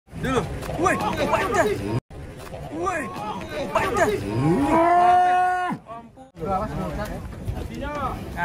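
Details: Cattle being unloaded from a truck: a long, steady low moo swells near the middle, after shorter rising and falling lows, with men talking and music underneath.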